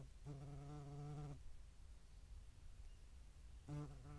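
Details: Low harmonic wing drone of a European hornet at a feeding site shared with median wasps, Dohr, Eifel, July 2022; one buzz of about a second, a pause, then a shorter broken buzz near the end.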